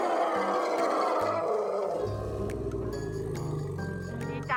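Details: A young female elephant, recognising her keeper's returning truck from far off, lets out a loud, rasping roar that gives way to low, droning tones in excited greeting. Background music and a woman talking run throughout.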